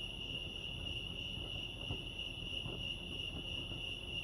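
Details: Constant high trilling of crickets chirping at Lake Arrowhead, California, a level, shimmering tone sustained from start to end, with a muffled low rumble and two faint knocks in the background.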